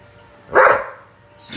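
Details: A pet puppy, brought home secretly though the family threatened to throw it out, gives one short, sharp bark indoors after a voice says not to come down; otherwise quiet room noise.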